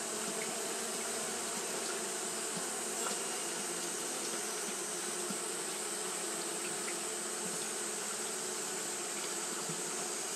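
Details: Steady mass buzzing of Japanese honey bees fanning on a hot day, a continuous hum with occasional brief louder passes of single bees against a constant airy background.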